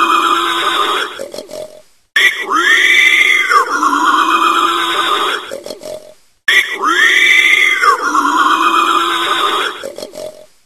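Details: A wild boar (Sus scrofa) grumbles in loud, nasal grunts that rise and fall in drawn-out, arching groans.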